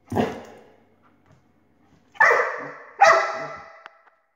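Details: A dog barks at a laser: a deep opening bark, a quiet pause with small thumps, then two loud, ringing barks less than a second apart, each fading slowly.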